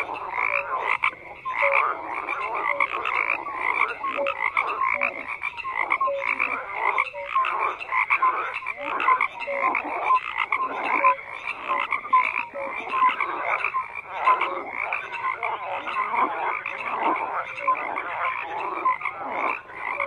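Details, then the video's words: Twenty seconds of unbroken frog chorus, dozens of croaking voices overlapping in rough pulses, with brief tonal notes popping out repeatedly above the mass. "FROGS CROAKING"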